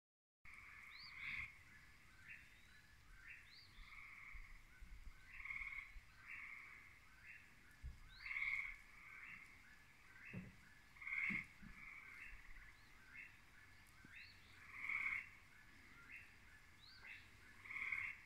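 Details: In the evening, a gray tree frog gives loud, musical trills, each lasting about a second and repeating every few seconds, alongside a singing whippoorwill.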